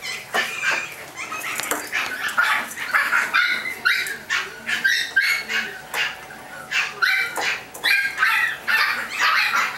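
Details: Chihuahua puppies offered by a breeder in California: a busy run of high, sharp yips and short barks, overlapping and repeated several times a second, with a faint whimper between bursts.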